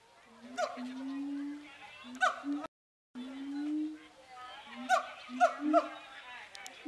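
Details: Siamangs at Zooworld, agitated before Zoobilee, hooting and shouting at each other: long level hoots near the low end alternate with sharp rising barks and whoops, a brief dropout midway.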